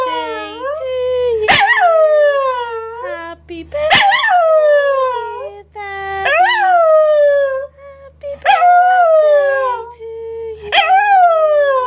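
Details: A female Scottish Terrier "sings" along to Happy Birthday, howling in a series of high, wavering notes, each rising sharply then sliding down.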